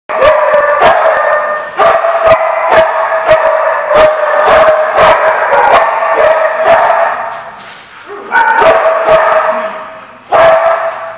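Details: Dogs recorded on 8/24/15 barking in a dense, overlapping chorus of sharp barks over a sustained mid-pitched tonal din, nearly continuous with brief lulls near eight and ten seconds.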